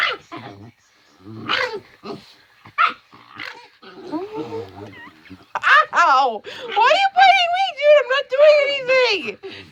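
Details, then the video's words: Pet dog, male, protective of his ill owner, giving his usual playing noises; scattered short grunts and whines, then a long run of wavering, yodel-like howling whines that rise and fall. "Weird Doggy noises"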